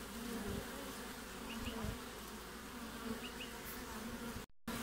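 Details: Honey bee hive entrance in midwinter in Australia, 20 June: continuous low droning hum with a few passing bee buzzes, broken by a short dropout near the end.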